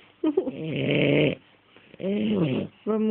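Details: Ferrero the French Bulldog snoring, with two long, droning, buzzy snores with wavering pitch and a short snort at the start, then another snore beginning at the end.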